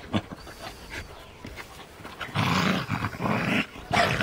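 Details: A Scottish terrier puppy and a puli romp together. Brief yaps open the clip, then a sustained harsh growling burst follows, and a final loud bark-snarl ends it.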